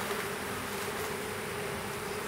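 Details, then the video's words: Western honey bee, a small swarm being hived in a privet hedge thicket in south Alabama on 12 April 2014; a steady, dense buzzing hum with a low droning tone held throughout, no breaks. "Honey Bee Swarm"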